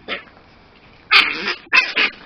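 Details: A 9-week-old male Miniature Pinscher puppy indoors snarls in protest as his harness is pulled off over his head: one brief harsh burst, a pause, then two loud, rough, noisy snarls in quick succession; a person talks soothingly nearby.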